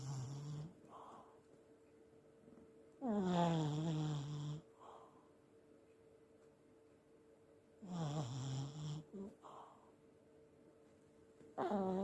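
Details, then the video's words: Elderly Pomeranian snoring in its sleep indoors: low, buzzy rasping snores with a rising harmonic sweep, about every four to five seconds, separated by quiet breaths. A faint steady electrical hum runs underneath. "おじじポメ いびきをたてる"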